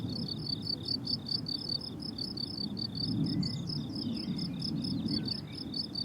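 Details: High, rhythmic cricket chirps ring out from a blooming summer meadow over a noticeable low, rumbling background. A couple of faint bird chirps flicker in toward the end.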